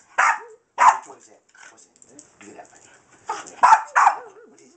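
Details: Small Boston terrier mix dog playing with a laser light indoors, giving sharp yipping barks in bursts, with a man talking over it about the dog not giving up.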